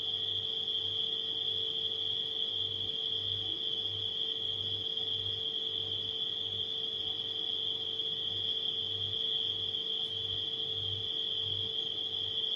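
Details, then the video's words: Continuous high shrill chirping of nighttime crickets together with the constant low drone of a refrigerator, the hum swelling and fading in short regular pulses beneath the insects. "Crickets & Refrigerator Humming Sound"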